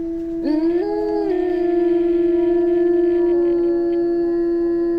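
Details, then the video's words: Wolf howling in a jungle: a quick upward swoop into a long, level, sustained tone, joined briefly by a second higher voice that curves up and settles, then fades. "Lone wolf and howling wolves pack in jungle"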